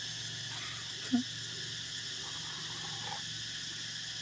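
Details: Cicadas, plentiful around Songkran, singing at Ban Dan Xang village, a continuous high shimmering buzz, with one short sharp yelp near the middle and faint voices.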